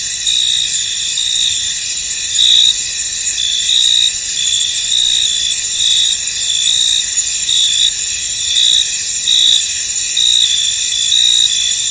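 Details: Many crickets chirp in a foggy field, their high continuous trilling overlaid by louder pulsed chirps that swell and fade in irregular waves.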